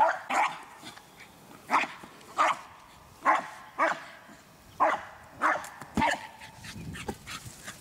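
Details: Eskie, the American Eskimo Dog of the Spitz family, barking steadily: roughly ten crisp, high barks in quick succession, some paired close together, against a quiet background.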